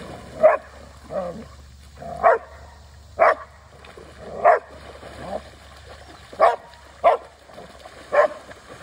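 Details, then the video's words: Portuguese Water Dog barking in the water, short sharp mid-pitched barks repeated roughly once a second, about nine in a row, over a faint low background hum. "NEVER mess with a water dog, in the water!!!"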